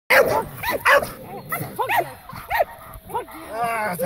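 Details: A 17-month-old Staffordshire Bull Terrier in protection training gives sharp, repeated barks, with a person talking in between.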